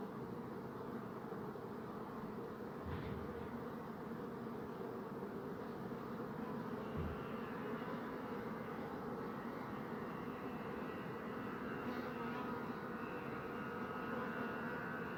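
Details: Many bees buzzing in a steady, dense hum, with higher whining tones rising and fading as single bees pass close in the second half, and soft thumps near three and seven seconds.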